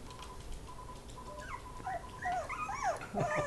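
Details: Miniature Pinscher puppies playing around, giving thin, high whimpers: a steady faint whine, then a burst of quick rising-and-falling squeaky cries overlapping in the last two seconds.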